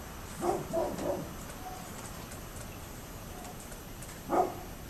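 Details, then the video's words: Dog next door barking on 27 October 2011: a quick cluster of three barks, a pause of about three seconds, then one more bark, distant over steady hiss. "Neighbors Barking Dog"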